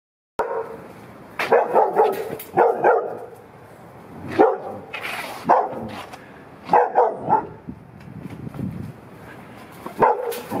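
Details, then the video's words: Dog barking in summer in Los Angeles, California, USA, August 2021: irregular rough barks, some single, some in quick doubles and triples, over a steady background hum. "Dog Barking"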